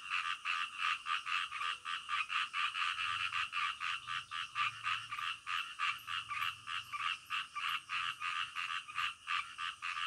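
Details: Frogs at night keep up a rapid, ratchet-like croaking, around three to four pulses per second, dense and continuous, with a faint low hum underneath.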